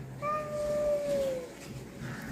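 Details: A visiting cat at a house where it has come to eat, said to be startling Ruby. It gives one long, steady, drawn-out meow that falls slightly at the end, over a faint background hiss.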